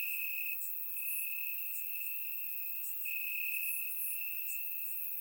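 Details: Warm summer night in Bulgaria, crickets in the grass: one continuous high-pitched trill that briefly drops out and returns, backed by scattered, very high clicking pulses from more distant callers.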